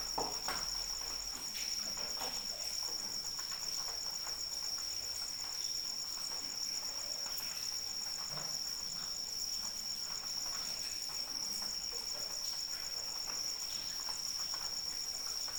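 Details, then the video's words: Rain falls softly while a cricket keeps up an unbroken high, piercing trill with a rapid pulse, accompanied by scattered drips and gentle patter for the whole stretch. "Suara Hujan dan Jangkrik Pengantar Tidur"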